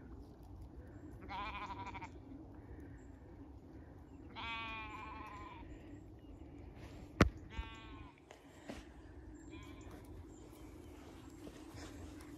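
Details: Stray Zwartbles lamb on a regenerative farm in County Kilkenny, Ireland, found on the wrong side of the fence and caught by hand: three loud, wavering, nasal bleats, then a sharp knock and soft rustling over a low steady rumble.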